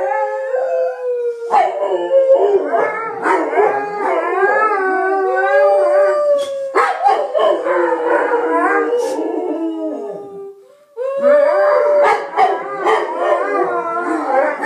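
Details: Pair of Bullmastiffs singing to noises, loud continuous chorus of overlapping howls, one steady falling tone beneath wavering, quavering voices, a short break near the end before the howling resumes.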